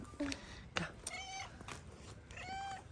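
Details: Tuxedo cat in Morocco, angry at being picked up, gives two drawn-out meows about a second apart, each a bright falling-rising wail, with a woman talking over it.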